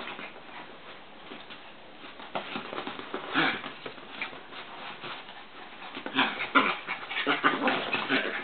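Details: Two pet Chihuahuas, Joey and Papi, wrestling indoors in a work room: scuffling noise with short rough growls and whiny snarls, getting louder and more frequent toward the end.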